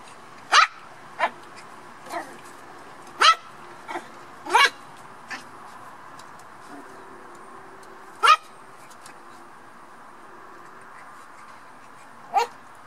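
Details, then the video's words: Black toy poodle puppies at play, giving short sharp yips and little barks scattered across the clip, some in quick pairs, with quiet pauses between and a faint low hum underneath. "Lekande dvärg-toypudelvalpar. Playing poodle puppies."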